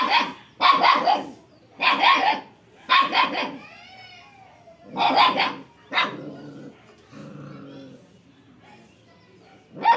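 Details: Barking dog in an Odisha village, India: a quick run of four sharp barks, then two more after a pause, with faint bird whistles between and quiet background voices.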